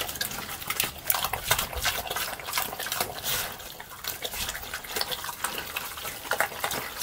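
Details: Pig eating slop, a continuous stream of sloppy, liquid slurps and crackling wet chews that rise and fall in loudness.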